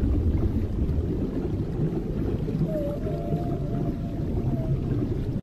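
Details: A mother humpback whale (Megaptera novaeangliae), said to be singing to her calf, gives a faint, drawn-out tonal moan over heavy low underwater rumble.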